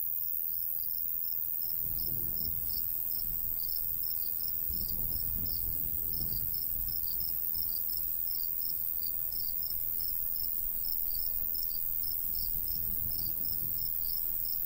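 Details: Crickets in summer countryside beside a golden wheat field, chirping in short high pulses about three times a second, uneven and continuous, over a low rumble of light breeze that swells in gusts.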